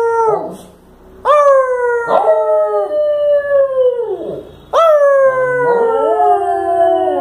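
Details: Evening recording of a Lhasa Apso howling in reply to its owner trying to make it speak; a brief yelp, then two drawn-out howls that waver and slide downward, each lasting roughly three seconds.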